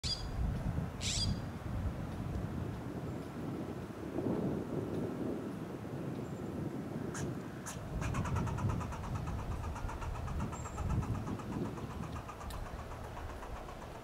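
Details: A fox squirrel (Sciurus niger) in a Monterey pine in Del Monte Forest, California, gives a rapid run of sharp, chucking alarm notes over a steady traffic rumble.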